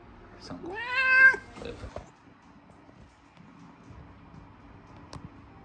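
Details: Domestic cat, a former stray rescued from a park and now a grown adult, meowing while being shampooed indoors after soiling itself from fear at the vet; one loud drawn-out meow, rising then falling, followed by a few soft sounds and a person's quiet soothing words.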